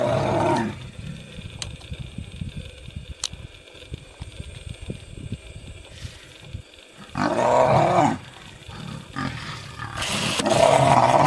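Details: Wild lions in conflict as a lioness tries to protect her cubs from nomadic males: mostly low rumbling with faint movement, then two sudden loud snarling bursts, one after about seven seconds and another at the end.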